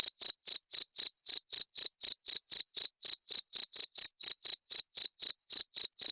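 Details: A cricket sound meant to drive away rats. Loud, high-pitched chirps repeat briskly at roughly four per second in a regular, slightly uneven rhythm against complete silence.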